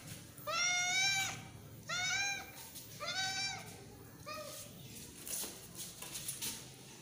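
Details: Kitten beside its protective mother cat calling in four clear, arched meows about a second apart, the last one shorter and softer, over a faint background hiss.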